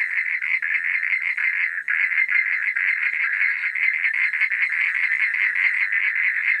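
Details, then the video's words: A nighttime frog chorus: many callers trill together in fast, crackling pulses, making a continuous bright drone with a short lull near the two-second mark. "Suara Katak di Malam Hari"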